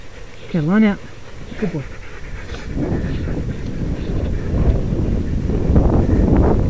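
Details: Sled dog at the Wild Dog Derby race in South Australia, 2012, during the 6 dog heat: one loud wavering, rising-and-falling whine near the start, a shorter fainter whine a second later, then rumbling movement noise with voices.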